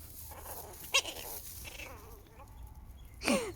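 A Chihuahua puppy gives a sharp squeaky yip, a wavering whine, and a high yelp that drops in pitch.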